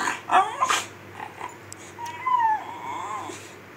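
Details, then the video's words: Male Miniature Schnauzer protesting indoors in the morning as his owner gets up and makes the bed: a couple of quick yelps followed by a drawn-out, wavering whine. "Mini Schnauzer temper tantrum"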